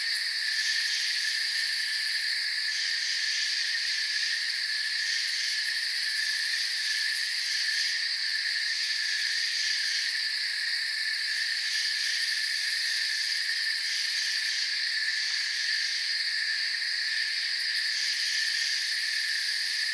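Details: Steady shrill chirping of many crickets in a forest, several high bands holding constant for the full stretch, slight swells in the upper pulsing layer now and then, no birds, voices or other noises.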